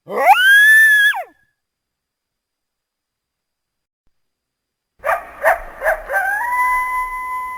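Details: A single loud coyote howl sweeps up and falls away, then a long silence, followed by a few sharp yips and a steady held tone.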